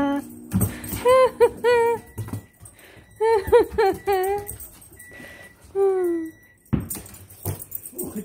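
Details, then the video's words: Molly, a female dog, barks with a tennis ball in her mouth, giving short, muffled, whine-like tonal barks in three bursts, the first two as quick doubled or tripled notes, the last a falling note, with a person talking nearby. "Molly barking with a tennis ball in her mouth"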